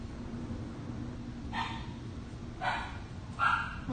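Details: Havanese puppy, a red brindle female, giving three short high yips or barks, spaced about a second apart, over a steady low hum of background noise.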